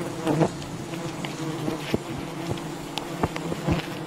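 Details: Honey hunters working at a wild bee colony; the insects keep up an unbroken buzzing hum, while several sharp knocks punctuate it, a few standing out clearly above the drone.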